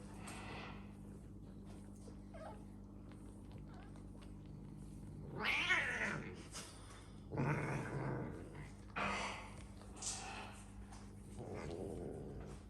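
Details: Domestic cats living indoors in a house shared with exotic animals; drawn-out wavering yowls rise and fall in three or four bouts of about a second each, with a low growling undertone and a steady indoor hum.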